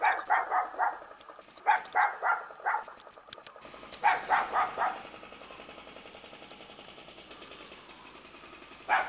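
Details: Puppy from a mountain village in Jeonju, North Jeolla Province, Korea, gives two volleys of rapid, sharp barks, three or four per burst. A quiet stretch with a steady low hum follows, then one more bark at the close.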